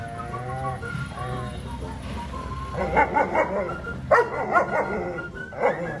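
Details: An 11-month-old German Shepherd meeting a horse for the first time gives several sharp barks in quick bursts, with a steady tonal background hum and music-like tones early on.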